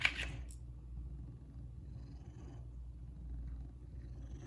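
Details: Low, steady indoor purring from one of two pet cats, Kumba and Zara, while they attack a fish; a brief noisy rustle opens the recording, then the deep even rumble continues alone.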